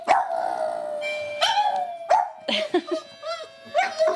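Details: A female Boston Terrier, who normally doesn't bark or howl, howls along in long, wavering tones with dogs howling in a video.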